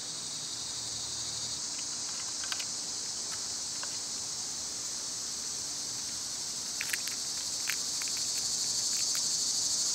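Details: Cicadas in summer, loud at this time of year: a dense, steady, high-pitched buzzing drone fills the clip and swells louder toward the end, with a few sharp taps and clicks scattered over it.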